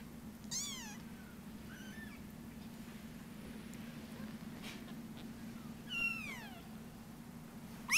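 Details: A Munchkin kitten, born 19 November 2017, gives thin, high meows that slide downward, spaced a few seconds apart.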